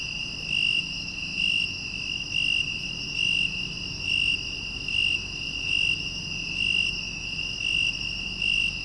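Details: A broad-winged tree cricket, commonly heard in the lowlands of western Japan, sings a steady, pure-toned purring trill that swells slightly about once a second.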